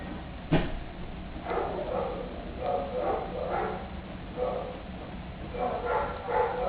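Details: Kitten wanting attention: a sharp click at the start, then short, high, tonal mews in small uneven groups across the rest of the recording.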